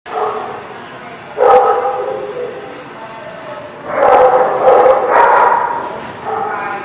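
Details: Dogs at The Barking Lot on 13 March 2017 barking in scattered bursts, a single bark then clustered volleys of sharp, mid-pitched barks, with human voices talking underneath throughout.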